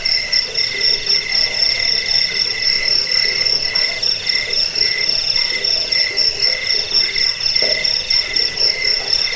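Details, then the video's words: Fast, unbroken cricket trill with sharp high pulses about four times a second, a thinner lower tone beneath and a light background hiss. "Suara jangkik pengusir tikus pengantar tidur"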